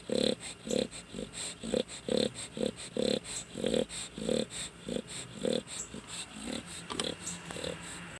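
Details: Dog asleep and snoring, rough breathing pulses coming about twice a second, some louder and some softer, the rhythm loosening slightly toward the end, with faint indoor background.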